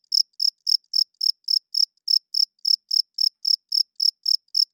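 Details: Loud cricket chirping at night, the male's wing-rubbed call for attracting females and establishing territory; bright high chirps evenly spaced about every quarter second, with no other noise.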